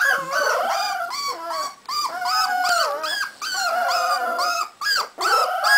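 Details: Cardigan Welsh Corgi puppies, a 3.5-week-old litter at a kennel in Sweden, howling together in overlapping high, wavering cries that rise and fall, with brief yips and short gaps between drawn-out notes.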